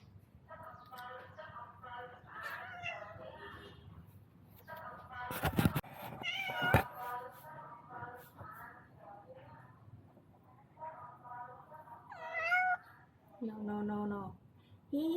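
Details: Strange-voiced visiting male cat, young and upset, looking for a female after eating food, calls in a long run of short, nasal, wavering meows, several bending upward, with a few loud knocks and a brief voice mid-way.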